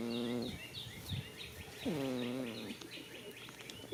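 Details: Goat asleep in a spring field: two drawn-out, droning snores with a hum-like tone, the second sliding slightly downward, over a backdrop of busy bird chirps.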